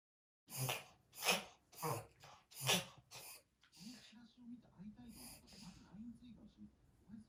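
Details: Italian Greyhound puppy indoors, its breathing episode confirmed as a reverse sneeze: four loud, broad snorting gasps in quick succession, then softer rhythmic wheezy snuffles repeating about every half second.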